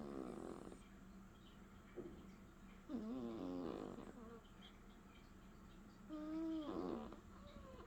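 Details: Leo the cat snoring in close, buzzy bursts, each with a thin wavering whistle that rises and dips, about three breaths in eight seconds, steady hum behind.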